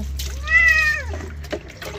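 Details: Pet cat during bathing gives a single clear, arched meow lasting about half a second, rising then falling, followed by a brief splash of water.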